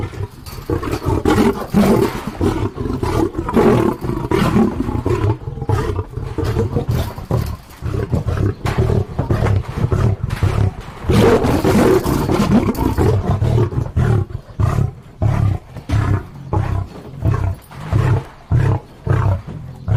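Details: Lion roaring continuously with heavy, rumbling bursts that end in a run of short grunts spaced evenly, about one every second.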